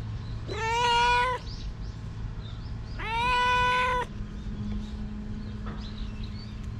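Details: Two long, even meows from a stray cat, each about a second long and roughly two seconds apart, followed by quiet with only a low background hum.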